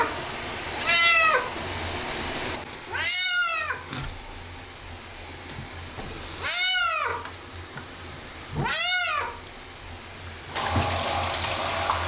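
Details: Ragdoll cat protesting during a bath; a series of four arched, harmonic meows spaced roughly two seconds apart, the later ones loud and drawn out, over a humming background and a burst of running water at the end.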